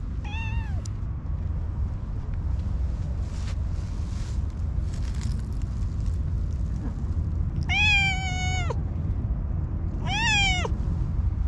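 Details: Orange tabby cat calling in a sweet, high voice: a short meow at the start, then two louder, longer, falling meows several seconds later, all over low steady background rumble.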